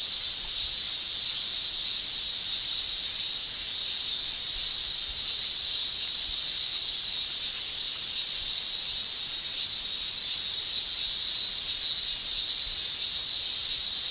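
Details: Dense, unbroken high-pitched shrilling of male cicadas during summer in Japan, nearly constant in loudness with slight surges, no other animals or voices.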